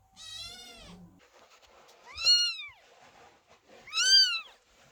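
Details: Kittens waiting outside the door while mother cat Chloe gives birth, anxious and meowing; three clear meows, a long flat one followed by two rising-and-falling cries, loud and tonal against a quiet indoor background.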